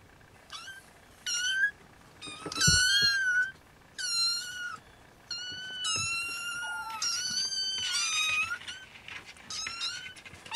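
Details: Siamese kittens, several at once, squealing beside their dozing mother Siamese cat before nursing: overlapping high mews, some short and bent, others sustained for over a second, forming an almost continuous chorus with brief gaps.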